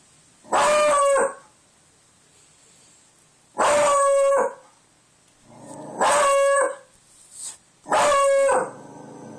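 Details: Pet dog howling at the door after hearing wind outside, four loud harmonic howls with a wavering tone, roughly every two to three seconds, over a faint high whine.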